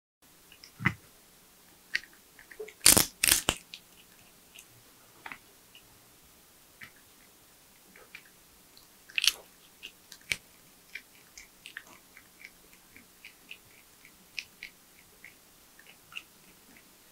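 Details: Porcupine feeding on nuts, bananas, sweet potatoes, apples and carrots: one loud crunching burst near the third second, then scattered soft bites and clicks over a quiet background.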